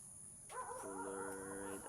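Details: Mother goat having a hard delivery while a person helps pull out her kid; one long, steady, nasal bleat lasting about a second, with a high constant whine in the background.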